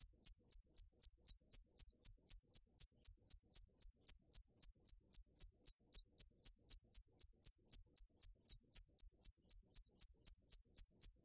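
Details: Dế mèn, a cricket, chirping steadily: loud, high, pure pulses repeated about four times a second in a fast, even rhythm over eleven seconds, with no other sounds.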